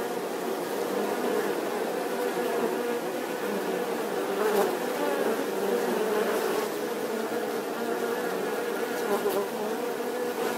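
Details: Bee buzzing in a steady, dense drone with layered humming tones, swelling slightly around the middle with a few faint clicks.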